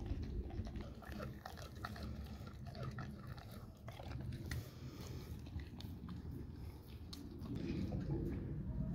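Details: Dog eating raw cow tongue: wet, irregular biting and chewing clicks at roughly three or four per second, with a constant low rumble underneath.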